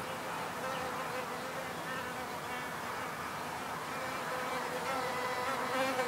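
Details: Wild bees buzzing outdoors in a simple field recording: a dense, continuous drone of several layered tones that waver slightly in pitch as insects move about, with a faint background hiss.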